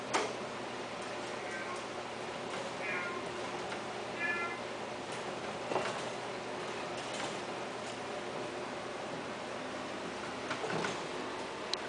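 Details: Thick-coated Himalayan cats kept for sale; a few brief meows around one and a half, three and four and a half seconds, with clicks and handling noises and a steady hiss in the background.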